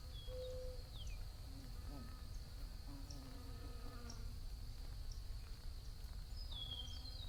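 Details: Low humming drone of bees rising and falling as they fly past, a short steady hum near the start, a continuous high whine and a couple of descending bird chirps.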